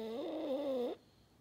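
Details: Maddi, a French Bulldog, snoring: one honking, foghorn-like tone with a wavering pitch, held for about a second before it stops into quiet.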